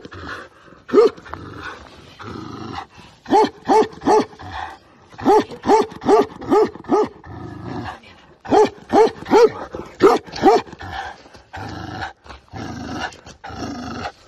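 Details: Big Tibetan Mastiff dog barking deeply and hoarsely in rapid volleys of three to five barks, with gruff, rumbling sounds between the volleys.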